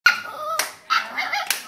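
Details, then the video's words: Peanut, a pet dog on her 2nd birthday, howling along as people sing the birthday song indoors; a sustained, high, steady wail slides lower, then breaks off, followed by a second shorter howl between bursts of voices. "Peanut sings her birthday song"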